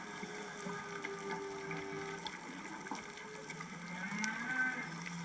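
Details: Humpback whale calls heard from shore at Otochigahama, Hachijojima, Japan, on a January morning, whales unseen: low moaning tones, some sustained and one sliding upward, amid a wash of surf and water noise.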